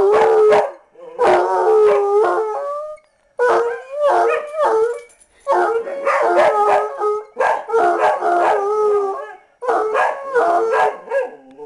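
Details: Hound dog with a heeler sidekick howls in repeated bouts of about two seconds, each bout a cluster of broken, baying yelps and wavering notes separated by brief silences.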